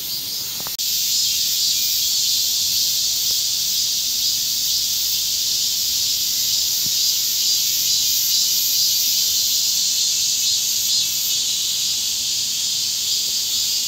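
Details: Korean summer cicadas, a loud unbroken high-pitched droning hiss that starts abruptly after a click and carries on without pause, subtly pulsing.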